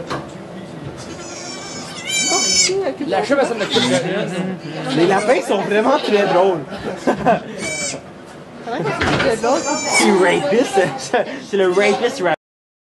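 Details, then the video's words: Bleats from goats at a birth of two kids inside a Quebec sugar shack, Canada, filmed on an iPod Touch 4G: short, shrill, quavering cries repeated several times through the recording, mixed with continuous French talking and murmuring voices. "Goat giving birth (Quebec) / Accouchement de chèvre"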